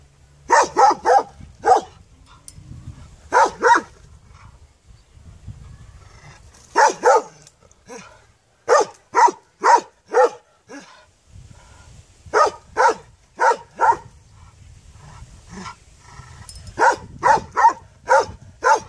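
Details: A puppy barks in quick bursts of two to four sharp, bright yaps, separated by short pauses, with a low rumbling background noise in the gaps.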